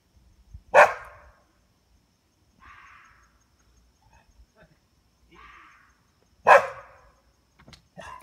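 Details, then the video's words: Domestic dog barking at a fox at night: two sharp, loud single barks about six seconds apart, with fainter tonal calls in between and a few soft clicks near the end in an otherwise quiet background. "Dog barking at fox"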